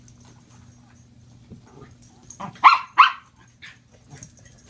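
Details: Two household dogs, Lindy the Mini Dachshund and Cisco the Norfolk Terrier, playing with a new toy; a soft lead-in sound, then two loud, sharp barks a moment apart, followed by quieter yips over a faint hum.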